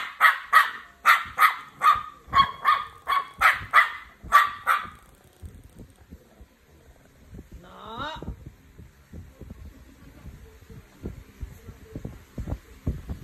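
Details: Dog from a match-up of a Shih Tzu and a Belgian Malinois, giving a fast run of sharp barks, about eleven in five seconds, then a rising whine near eight seconds and quiet scuffling.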